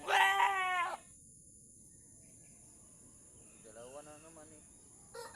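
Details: Doe goat in difficult labour as her kid is pulled out; one loud, rich, wavering bleat opens, followed by quiet and a fainter, softer bleat, with a brief loud sound at the end.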